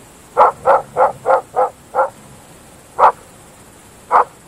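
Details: Groenendael dogs, Belgian Shepherds, barking at night in open fields: six sharp mid-pitched barks in quick, steady succession, then a pause and two more single barks spaced about a second apart, over a quiet background.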